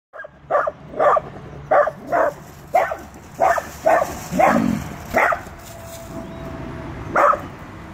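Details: Small fearless Dachshund telling off a full-grown Rottweiler, barking in sharp repeated yaps about every half second, nine barks with brief gaps and a quieter pause near the end.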